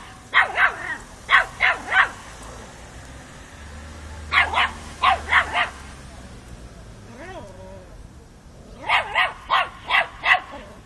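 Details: A 5-month-old Miniature Pinscher confronting a mature cat yaps in quick bursts of three or four sharp, high-pitched barks, in Kiev in October 2013.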